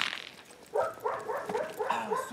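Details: Hovawart in protection training on 26 January 2014, a session focused on barking at the hide and obedience, working with a decoy helper; after a quiet start, a rapid run of short, harsh barks, about three per second, with a sharp crack midway.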